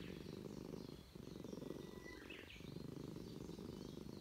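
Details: A stray Russian Blue cat in a park purrs in a steady, low, rumbling throb while being petted, seemingly glad at a reunion with a familiar person; a brief bird chirp sounds in the background.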